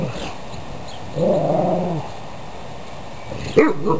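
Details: Playing dogs: a low, drawn-out play growl lasting about a second, then a pause and a single sharp bark, with muffled low-frequency background noise throughout.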